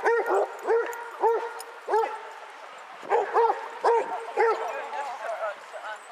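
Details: Basset Hounds from a 22-dog walk at Hazlehead Park, Aberdeen, February 2014: a steady run of full, deep barks about every half second, slightly overlapping, with faint people's voices behind.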